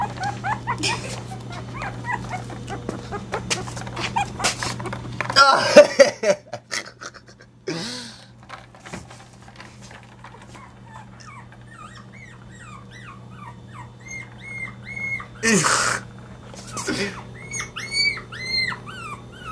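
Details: Chihuahua puppies, from the litter of Goofy Rodriguez jr., Coconut and Chichi in Montebello, California, let out thin high whimpers. A run of short arched whines, rising then falling, comes in quick series near the end. Human voices and a steady electrical hum run underneath.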